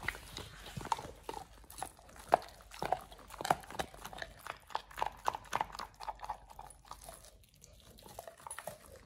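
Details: Oliang, a Pit Bull, eats a raw ostrich paw for the first time as a jaw-exercise snack. Sharp, irregular crunches and wet bites come in quick bursts, with softer gnawing between them.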